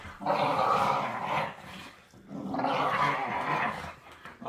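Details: Pit bull puppy with baby teeth wrestling in play with a patient older rescue pit bull; two long raspy, gargling snarls each lasting over a second, loud and harsh, separated by a brief pause.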